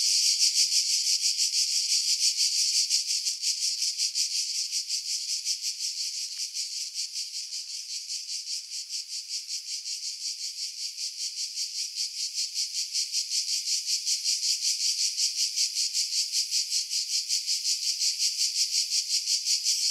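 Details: Cicadas singing in July 2018 among pine trees about 50 m above the sea at Pefkos Bay, Skiros Island, Greece; a dense, high buzzing chorus pulsing steadily about three times a second, with wind buffeting filtered out.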